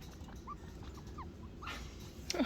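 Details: A young chinchilla, apparently too big to stay with its mother, cries for her with thin, brief, slightly rising squeaks in a loose irregular series; a louder rustle and knock near the end break in over a low room hum.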